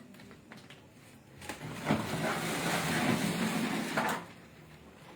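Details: A quiet indoor room with a burst of rustling and scraping noise in the middle and no animal calls.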